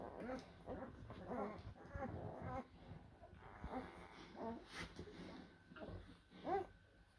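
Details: Blue Great Dane puppies from litters born in April 2023: soft, wavering whimpers and short whiny cries come in uneven bursts indoors, with a sharper squeal near the end.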